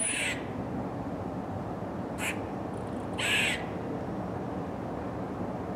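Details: An eastern gray squirrel on a college campus gives its moan alarm call, the least common of its alarm calls, three breathy, hoarse bursts over steady background hiss.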